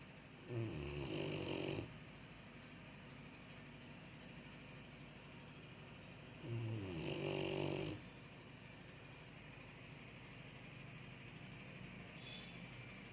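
A sleeping Rottweiler snores in two long, rumbling, rattling breaths.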